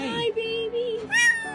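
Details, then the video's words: A kitten trapped in a pipe cries desperately for help with long, wavering, high-pitched meows, a second cry rising sharper. People heard it and pulled it out. "escucha los gritos desgarradores del gatito que quedó Atrapado en una tubería"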